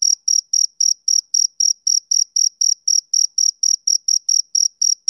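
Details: On a summer evening, a male cricket chirps in a fast, regular rhythm, each note a short, high, ringing pulse, with no other sounds.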